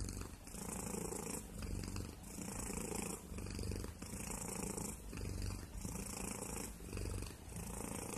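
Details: Domestic cat purring steadily, a low rumbling drone that swells and fades with each breath, about one cycle every two seconds, close to the microphone in a quiet setting.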